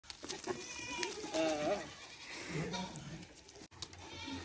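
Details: Goats on a farm near Pushkar, Ajmer, Rajasthan, India, a Sirohi male and an Ajmera female: one wavering, quavering bleat with rising and falling pitch, overlapped by a man speaking and background chatter.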